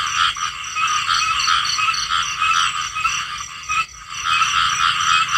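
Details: Many small frogs croaking at once. Fast, pulsing rattly notes layer into a thick continuous chorus, with a short pause near four seconds before it resumes.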